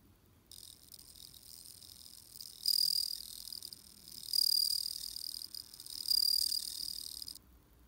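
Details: Autumn song of a bell cricket: three loud, high, silvery trill bursts at steady intervals of about one and a half seconds, linked by fainter chirps, in a calm setting.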